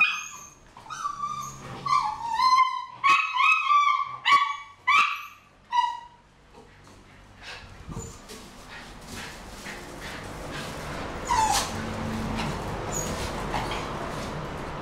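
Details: Homer, a pet miniature schnauzer, grips his favourite huge ball in his mouth and gives a quick series of short, high, nasal whines over about six seconds, then falls quiet under a steady indoor hiss.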